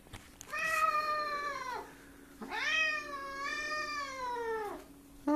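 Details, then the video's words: Angry stray cat that wandered indoors into a kitchen and became agitated, giving two long, loud, drawn-out meows with rich harmonics, each about 1.5–2.5 seconds, the second wavering in pitch; a steady low hum in the background. "Angry stray cat"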